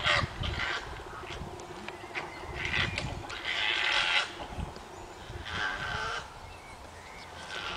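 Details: Wild koalas during a failed mating attempt, with a large female fighting off a male: harsh, raspy squawks and wailing cries in uneven bursts, with grunting low rumbles beneath.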